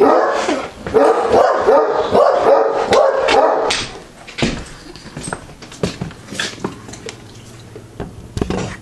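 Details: Neapolitan Mastiffs calming at night after going ballistic at a lost stranger's knock: about four seconds of dense overlapping dog vocalizing and grumbling, then quieter scattered clicks, movement and a few soft sounds.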